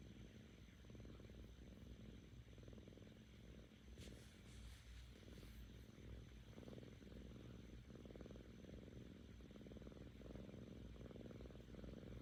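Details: Seven-month-old female Korean shorthair kitten purring happily with her owner; a rhythmic low rumble in breath-long surges, with a short rustling noise around the middle of the recording.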